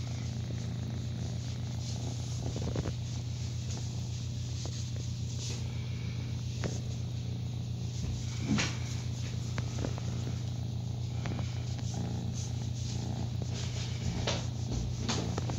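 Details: Foster kitten about six to eight weeks old, one of ten rescued kittens on a foster cam in New Brunswick, Canada, purring while enjoying belly rubs in late September 2017; steady low rumbling purr with rhythmic pulses throughout, faint scattered handling clicks.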